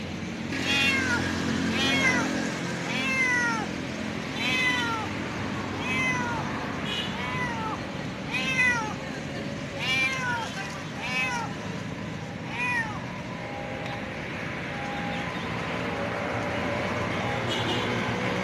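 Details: Hungry cat meowing loudly for food: a long series of arched, rising-then-falling meows about every second, gradually fading, over a constant low hum of traffic or machinery outdoors in an urban setting.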